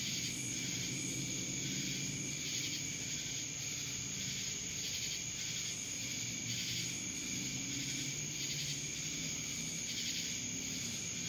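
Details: Massed cicadas calling in Dallas, Georgia: an unbroken shrill hiss and ring, gently rising and falling in loudness in irregular surges.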